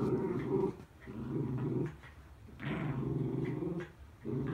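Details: Miniature Schnauzer venting rainy-day frustration by attacking a mat: low, rough growls come in bursts of about a second, separated by short quiet breaks, with faint rustling between them.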